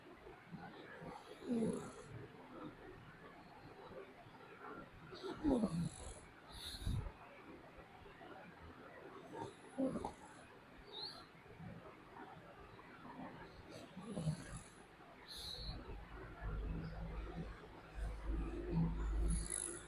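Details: A pet dog snores in its sleep, deep raspy breaths swelling roughly every four seconds, with a steady low rumble beneath and faint hissy noise between breaths.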